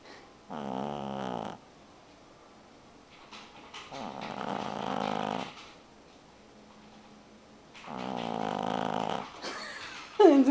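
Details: A sleeping two-month-old male pug puppy snores with nasal, rumbling rasps, each breath drawn out for about a second and coming every three to four seconds; a brief human voice cuts in at the very end.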